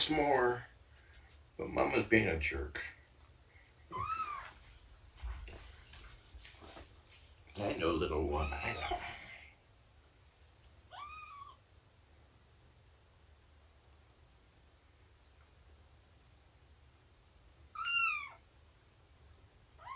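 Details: House cats during a morning of nursing and play involving Shelby, a formerly abandoned mother cat, and kittens; human talking dominates the first half, then three thin, rising-falling meows spaced several seconds apart.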